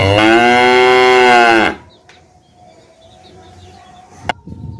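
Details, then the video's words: Single loud cow moo lasting under two seconds, rich in harmonics and level in pitch, followed by a quiet background with a steady hum and a sharp click. "Cow Sound Effects Mooing Video"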